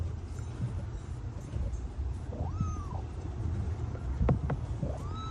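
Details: A stray kitten abandoned in -11°C snow for two days gives a thin, rising-then-falling meow partway through, with a second meow starting at the very end, all over continuous low-pitched background rumble and a few sharp clicks.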